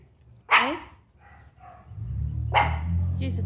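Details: Pinscher dog getting angry, giving two sharp barks about two seconds apart, with low rumbling background noise and faint voices.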